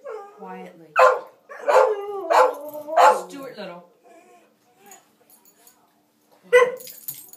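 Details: Pet dogs at play give yodelling, pitch-wavering barks and yowls in a quick burst of four, then a pause with soft murmurs and one last sharp bark; a person hushes them softly.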